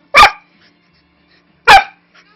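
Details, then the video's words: Two sharp, loud single barks about one and a half seconds apart from a five-year-old Manchester Terrier mix with a huge voice, during harmless rough play with a three-month-old husky lab mix puppy indoors; silence between. "very vocal (but harmless) Terrier mix"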